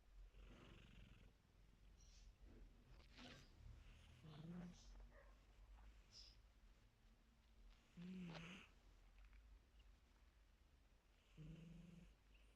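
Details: Sleeping female kitten snoring: soft, breathy low rumbles come in slow bursts about every three to four seconds, with faint rustles between them in a quiet indoor setting.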